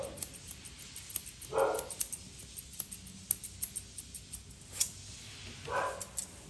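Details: During grooming, a Poodle mix lets out two brief, separated barks over steady snipping of grooming scissors in a small indoor space.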